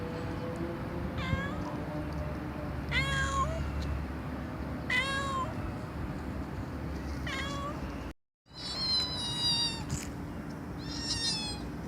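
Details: A cat meowing loudly in short clear calls spaced a couple of seconds apart, a brief silent gap midway, then more meows over low steady background noise.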